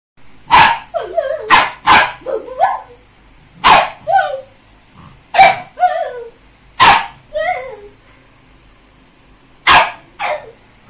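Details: A Labrador puppy at play gives sharp, high barks in bursts, some trailing into short falling yelps.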